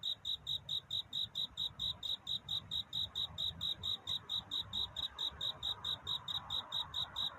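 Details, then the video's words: Night courtship song of a cricket seeking love. Evenly spaced, high-pitched pulses come roughly four per second for the whole stretch, over a faint low hum and a gentle mid-range hiss. "편안한 잠을 부르는 귀뚜라미 울음소리. 슬퍼 말아요 우는 것이 아니라 사랑을 찾는 노래랍니다"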